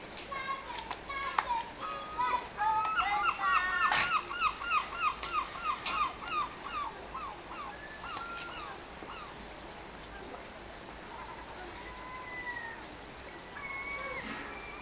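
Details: Seal pups being fed at a seal creche, a rapid series of wavering, bleating cries repeated several times a second for about six seconds, followed by longer drawn-out wails; human voices faintly behind.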